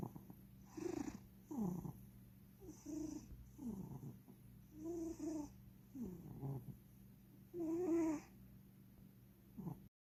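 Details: Pet cat King Charles asleep on a lap, snoring super loudly: wheezy, slightly whistled snores in uneven bursts roughly every second or two, with a quiet constant low hum underneath.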